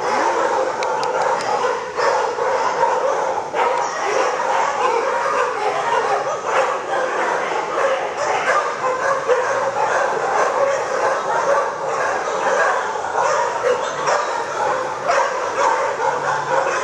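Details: A lot of dogs barking at an animal shelter, steady chaotic chorus of short overlapping barks and yelps lasting throughout, with faint whimpers beneath.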